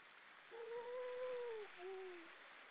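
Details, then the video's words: A grey seal sings from the rocks of Vilsandi, Estonia, among many others on an October evening in 2012. A long wailing moan swells and gently falls, followed by a shorter, lower moan, against a soft hiss of sea noise. "Lots of seals on the rocks singing"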